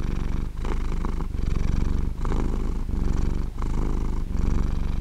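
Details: Cat purr, a continuous low vibrating rumble rising and falling with the breath about 44 times a minute, with brief quiet gaps between inhale and exhale cycles.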